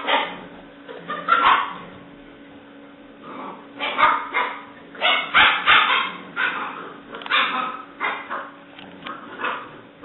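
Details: Alice, a black and white tricolour female English Springer Spaniel puppy at seven weeks, 17 May 2009, lets out rapid strings of shrill puppy yips and small barks, several a second in places, while tugging playfully; human voice nearby.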